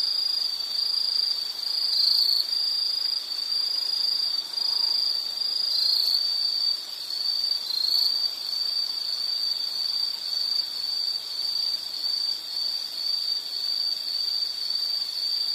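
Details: Insects in a nature soundscape meant for relaxation, study or sleep: a dense, continuous high-pitched trill holding one steady tone, with faint higher overtones and a gentle rise and fall in loudness.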